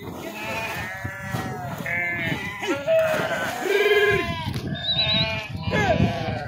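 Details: Swimming sheep driven across a river by their farmers: many wavering bleats overlap steadily, some deep and hoarse, others higher and drawn out, with splashy background noise underneath.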